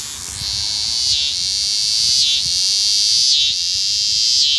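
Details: Neotibicen winnemanna, the eastern scissor-grinder cicada, showing unusual courtship behaviour; a loud, sustained high-pitched buzz interrupted every second or so by a short downward dip, then resuming at full strength.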